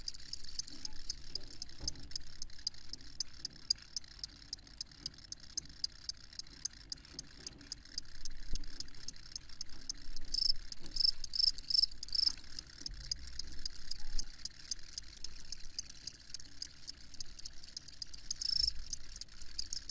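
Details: A chorus of crickets keeps up a fast, shimmering high trill, with a few sharp ticking clicks and a low background rumble.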